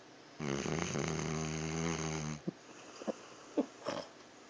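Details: Pet dog asleep, snoring loudly: one long harmonic, buzzy rasping snore of about two seconds, then short soft snorts and breaths in a quiet room.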